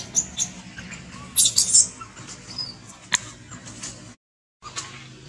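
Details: Baby monkey named Alba crying while kept from milk feeding: a cluster of shrill, high squeals around the middle, with scattered short sharp chirps, a brief thin whistle and a gap of silence near the end.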